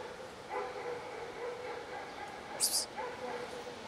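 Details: Hungry cat waiting for its owner, uttering short meows about once a second with brief pauses between them. A sharp, high-pitched hissing burst cuts in near the end.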